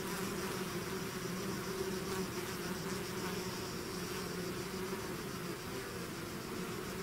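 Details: Swarm of bees out of its hive, a constant layered buzz of many wings, low droning tones holding steady with slight flickers of closer passing bees, no other sounds clear.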